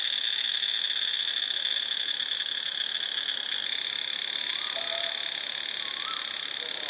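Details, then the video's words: Cicadas from Ubon Ratchathani, Thailand, producing a continuous shrill metallic drone that shifts texture midway. A few faint, short, lower rising-and-falling calls from another animal are heard briefly beneath it. "เสียงจักจั่น (Cicadidae)"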